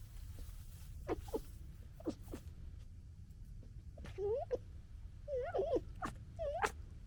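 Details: Young red foxes from the 2021 litter gekkering while fighting: short harmonic whines and chattering yelps, wavering and stuttering, scattered through the clip with quiet gaps and a steady low background rumble.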